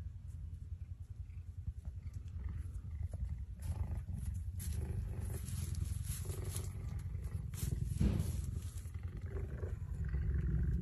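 A cheetah makes a low, throaty rumble broken into quick pulses, roughly three each second, sounding much like a large domestic cat purring. Occasional rustling bursts of noise sit over the steady rumble.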